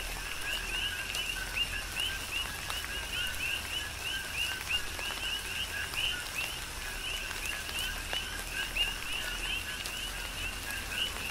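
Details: Coqui frogs chorusing during a tropical rain shower on the Big Island of Hawaii: many overlapping short two-note whistled calls, a lower note then an upward-sweeping higher note, repeated steadily over a hiss of rain and scattered raindrop ticks.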